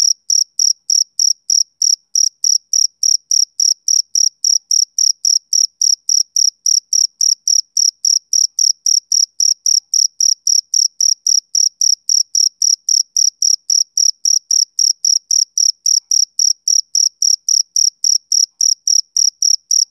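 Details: Rhythmic chirping of a male cricket, a summer-evening sound: bright high-pitched chirps in an unbroken even train, roughly three or four per second, with nothing else audible.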